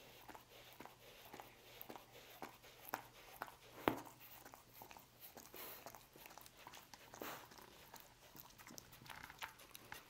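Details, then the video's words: Roast beef being chewed by a dog inside a quiet room, soft irregular smacks and bites with one sharp click around the middle, otherwise a low hush between mouthfuls. "Dog Eating Roast Beef"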